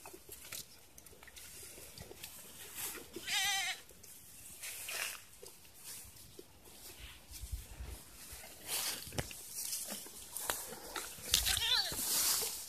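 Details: Pet goats on a farm being given water to drink give two wavering, nasal bleats, one early and one near the end, with shuffling, clattering and knocking noises throughout.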